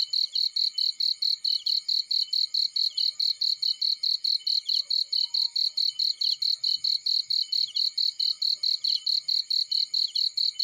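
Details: Cricket calling in a field: shrill, closely repeated chirps, about four or five a second, forming an unbroken pulsing chorus; faint soft ticks below are barely noticeable.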